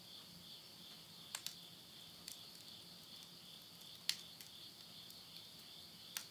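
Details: Insect voices at midnight near a countryside house in Tottori, Japan, end of summer, September 2020: an unbroken high-pitched shimmering drone, with several loud snapping crackles from a wood stove fire scattered through.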